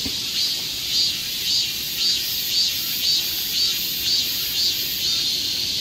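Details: Korean summer forest trail in Seoul with cicadas: a shrill high buzz that swells in regular pulses about twice per second over a steady background hiss.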